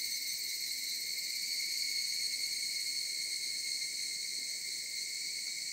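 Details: Cicada song drifting from the mountains, a constant high-pitched buzzing hum in even layers, unchanging in pitch and loudness, over quiet low background noise.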